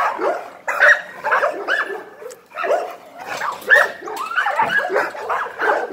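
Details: American Pit Bull Terrier barking in short clipped bursts mixed with higher yips, irregularly spaced, with a brief pause partway before more excited barks resume.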